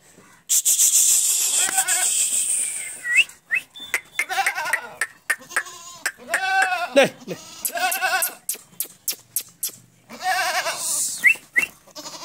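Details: Barbari goats in Etawah, Uttar Pradesh, India, bleating repeatedly: wavering, harmonic-rich cries in quick succession, some sliding downward, broken by sharp clicking and knocking noises and a hissy burst near the start.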